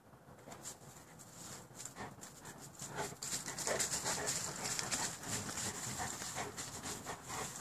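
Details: Boerboel dogs pant rapidly at close range. The harsh breaths grow louder and faster toward the middle and carry on, with hissy scuffling beneath them.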